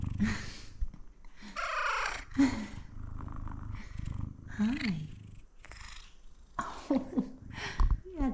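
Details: Male F2 Savannah cat purring up close indoors, breaking into short chirpy meows and one longer, strained, falling meow, while a woman speaks affectionately to him.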